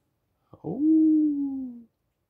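A small Chihuahua-Dachshund mix gives a brief, steady howl that starts with a yelp and slowly sinks.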